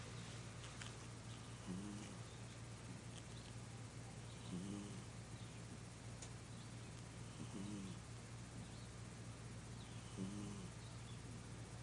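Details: A pet cat snoring while asleep; soft low rasping breaths recurring about every three seconds, four in all, under a steady hum and hiss of room noise.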